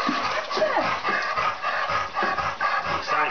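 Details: An elderly black Labrador Retriever swims at a dog spa, breathing in quick, uneven pants about twice a second. A man's encouraging voice is mixed in, with splashing water around them.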